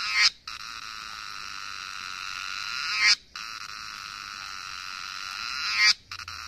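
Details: Himalayan cicada song from Nepal, a continuous shrill buzzing drone in phrases about three seconds long, each rising to a loud climax before a short break of silence.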